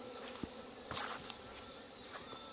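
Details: Massed honey bees humming at hives being merged after hornet damage and failed queen mating on Chuseok morning; a steady buzz broken by several sharp clicks and handling knocks.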